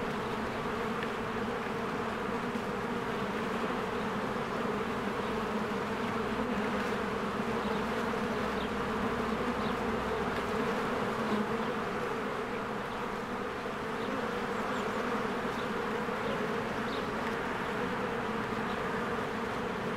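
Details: Busy honeybee hive in spring, bees streaming in and out among blooming flowers, Canon EOS R recording: a thick, constant low hum of many wings throughout, with occasional faint distant bird chirps overhead.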